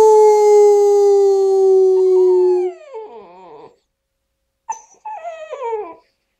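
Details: A 4-month-old tricolour Basset Hound learning to howl gives a long, steady howl that slides downward, then adds a wavering, yodelling second howl.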